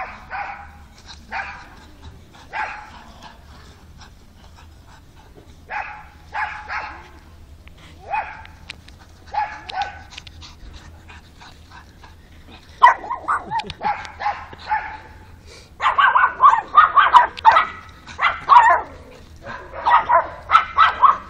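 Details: Pug Alfa giving scattered paired barks in the first half, then a fast, louder volley of rapid, high yapping barks near the end.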